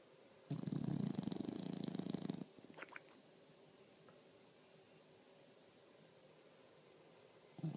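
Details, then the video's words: English Bulldog snoring: a single low, rasping, rapidly pulsed snore of about two seconds, followed by a long quiet pause with faint soft clicks. "English Bulldog Snoring"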